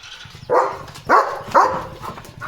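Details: German Shepherd Leo barking at the gate as a vehicle stops outside: three sharp barks spaced half a second apart over a low engine hum, with a person talking.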